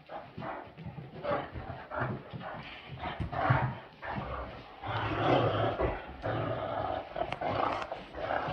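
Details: Two Great Danes, a male and a female, playing together: rough, throaty growls and grumbling snarls in overlapping bursts, rising and falling in loudness throughout, with brief louder peaks near the middle and end.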